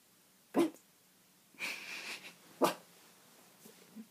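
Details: Cavalier King Charles Spaniel puppy barking at a window indoors: two sharp, short single barks about two seconds apart, with a breathy huffing sound between them, in a quiet small room.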